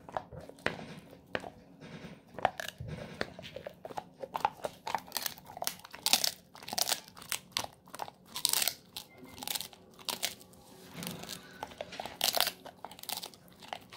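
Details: Moko, a pet Golden Retriever, gnaws a pig ear snack indoors in a small room: dense, sharp crunches and cracking bites come in irregular bursts, with wetter chewing between them and no other sounds.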